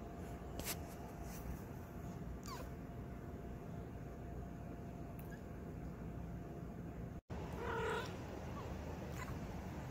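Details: A domestic cat making small noises as it wakes up after sleeping: a short harmonic chirp near the end, preceded by faint clicks, over a steady low hum in a quiet room.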